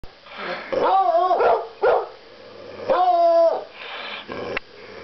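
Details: Coonhounds at home giving drawn-out, tonal baying barks with harmonic bands, two long howling barks about two seconds apart between shorter yelps; a person speaks afterwards.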